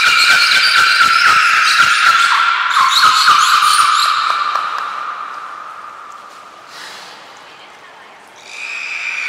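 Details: Beluga whales Nana, Mirai and Niko during training at Port of Nagoya Public Aquarium, Japan, on 11 January 2021. A buzzy harmonic whistle with dense rapid clicking fades after about six seconds, then a brief higher tonal squeal sounds.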